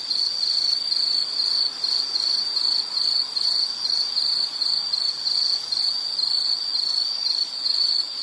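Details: Nature recording of an insect: a bright, high-pitched trill pulsing in quick regular bursts, unbroken throughout, with a faint hiss of background noise.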